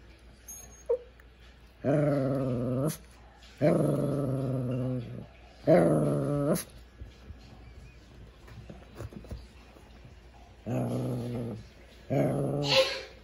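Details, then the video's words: Male pet Shih Tzu at home, growling as if trying to talk: four drawn-out, low, harmonic growl-moans about a second each, spaced several seconds apart, with quiet room sounds between them. "shih tzu talking"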